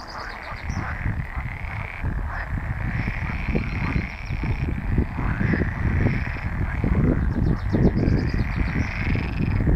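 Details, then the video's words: Pool frogs call together in a dense chorus of rapid, rattling croaks on heathland in the Netherlands, 24 April. "Poelkikkers"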